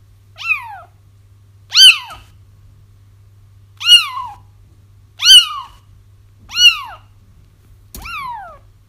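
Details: Kittens crying to bring a feral mother back for trapping; six short, piercing arched mews at uneven one-to-two-second intervals over a constant low electrical hum, one ending in a click.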